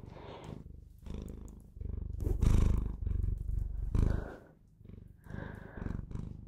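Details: Bengal cat purring loudly and close, a deep vibrating drone in repeated inhale and exhale swells, with light rustling between them.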